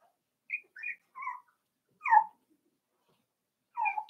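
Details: Five-week-old Cavalier King Charles Spaniel puppies in an indoor pen; several short, high whimpering squeals in quick succession, then a pause and a final whine, with a sharp click at the end.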